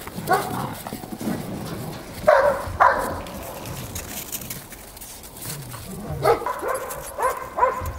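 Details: Belgian Malinois puppies, eight weeks old, at play in the snow, giving brief high yips and squeaky growls in small bursts, with soft scuffling and crunching between them.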